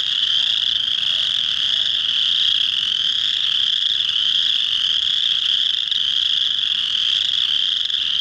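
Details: Early spring chorus of male chorus frogs at a pond in March, singing to draw females for egg laying; an unbroken wall of shrill, creaking trills from many frogs at once.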